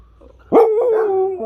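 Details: Siberian Husky puppy trying to talk, vocalizing in response to its owner: a sudden loud onset, then a sustained tonal, slightly wavering howl-like note held for about a second, ending in a short lower step.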